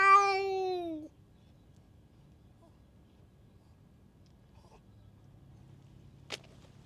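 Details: A rough stray cat picking fights with every cat around lets out one loud, harsh yowl lasting about a second that drops at the end, followed by near silence and a single faint click.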